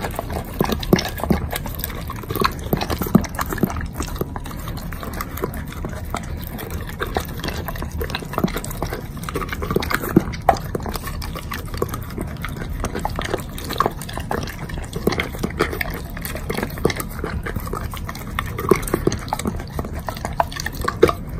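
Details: A Doberman eating a pile of bacon. Steady wet smacking and soft clicking chews go on throughout, with frequent small sharp bites and no voices.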